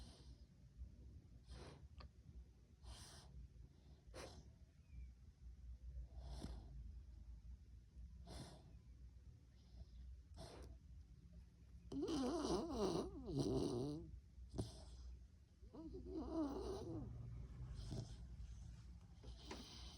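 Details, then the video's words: An asleep dog breathes noisily in soft, irregular snores and snuffles, roughly every second or two. Two louder snorting, rattling stretches come around twelve to fourteen and sixteen to seventeen seconds, with faint indoor background hiss. "कुत्तों के खराटे 🐶😂 dog snoring"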